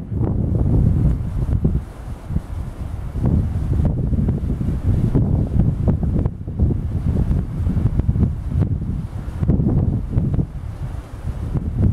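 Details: Heavy wind noise rumbles across the microphone from start to finish, low and buffeting. No animal calls come through.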